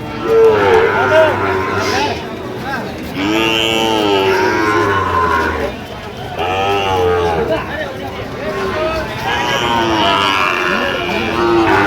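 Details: Sahiwal bull calves at Ambari market, Comilla, Bangladesh, on 1 September 2025, where farmers are buying. Repeated long, low moos with groaning, wavering tones overlap steady human talk and crowd noise.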